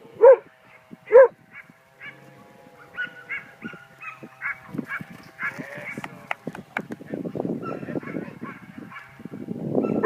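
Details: Australian cattle dog. Two short, forceful barks from an Australian cattle dog ring out about a second apart. Afterward the dog falls silent while softer rustling, knocking and faint background noise fill the rest.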